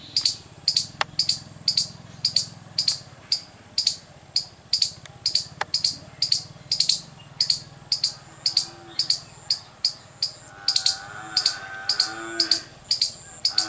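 A squirrel gives sharp, high chirps, roughly two each second, in a steady run.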